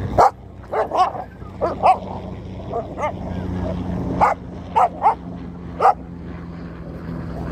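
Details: Two dogs; sharp, high barks in irregular bursts, single and paired yaps spread across the stretch with quieter muffled barks between them, over a low steady hum.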